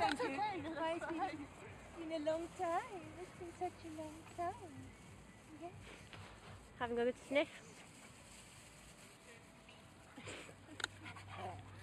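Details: Alaskan Husky, nervous in a park, singing a whiney song: long wavering whines that bend up and down early on, then shorter spaced whimpers, with faint voices and outdoor hum behind.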